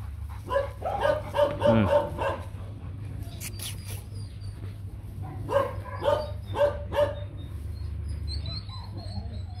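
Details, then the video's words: Young male Rottweiler breeding dog barking in two bursts of four to five deep, evenly spaced barks, a quiet pause between them, over a steady low hum with faint people's voices nearby. "Chó Rottweiler đực đẹp"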